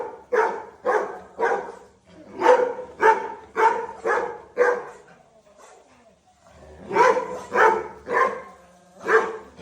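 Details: Pet Labrador Retriever Dhoni lets out a run of rapid barks, about eight in four seconds. A quiet pause follows, then another burst of four loud barks.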